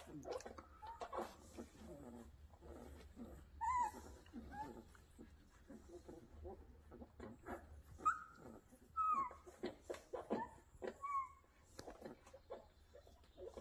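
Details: Rottweiler at a kennel, giving short high whining whimpers that rise and fall, coming in scattered bursts through the second half amid clattering background noise.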